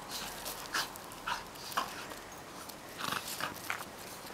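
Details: An 8-month-old Cairn Terrier plays with an 8-month-old Finnish Lapphund, giving short, scattered yips and growly huffs.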